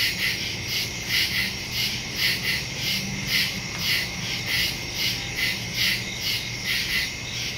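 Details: Crickets chirping at night in the woods, recorded September 2, 2023 on a Samsung Galaxy S22 Ultra with a Shure MV88+ stereo microphone; a dense, high, pulsing chorus beating steadily about three times a second, with a faint low hum beneath.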